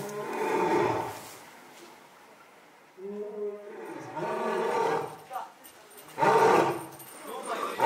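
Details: A male lion at Asahiyama Zoo, born July 2017, roars loudly in October 2020 in throaty, grinding bursts, some drawn out and some short and grunting, separated by breathy pauses, with faint voices underneath.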